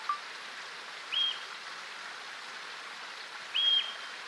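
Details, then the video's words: Shrill, level alarm whistle of a yellow-bellied marmot, the whistle pig, alerting other colony members to possible danger: a faint low peep, then two brief piercing whistles about two and a half seconds apart, over continuous rushing noise. "Marmot Perut Kuning Keluarkan Suara yang Unik Ketika Peringatkan Bahaya ke Kawanannya"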